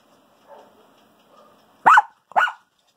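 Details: Chihuahua-Maltese dog hiding her breakfast, giving two short sharp barks about half a second apart after faint low murmuring sounds.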